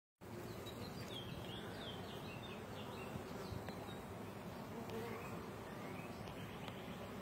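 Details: Honey bee workers exchanging nectar from one to the next: a dense, continuous low buzzing hum fills the recording, with faint bird chirps above.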